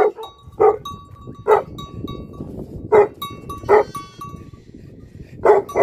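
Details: Barking from livestock guardian dogs: single loud barks spaced roughly a second apart over a constant hiss, with ringing bell-like tones between them.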